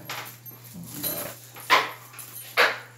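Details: German Shepherd from Dhamrai being handled at a veterinary clinic in Dhanmondi: two short, sharp yelps about a second apart over a steady electrical hum, with a person softly soothing the dog in Bengali.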